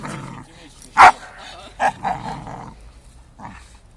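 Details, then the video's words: Single loud, abrupt bark from a playing four-year-old Staffy, sparring with a five-month-old Amstaff, followed by softer huffs and a low growling rumble that fades out. "Staffy vs Amstaff"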